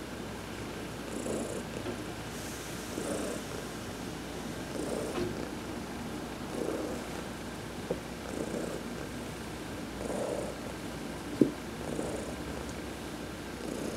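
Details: Massaged during a sun bath on November 19, 2020, the adopted cat Heidi purrs in a rhythmic low rumble, swelling with every breath about every one and a half to two seconds, with an occasional sharp tap.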